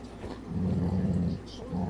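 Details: Dog giving a soft, steady low growl at his squeaky toy pig, a continuous rumble lasting about a second, then resuming briefly.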